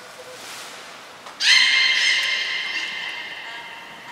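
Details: Captive beluga training, Gray and Mirai, Port of Nagoya Public Aquarium, 15 June 2022: after quiet hiss, a sudden loud rich squeal with many stacked overtones sustains at steady pitch for over two seconds, slowly weakening.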